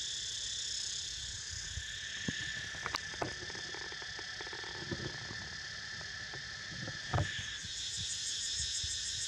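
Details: Continuous high-pitched cicada drone fills the air as Niko naps, a dense steady buzz with scattered clicks and taps, a louder thump near the end, and a faint fast pulsing creeping into the top band.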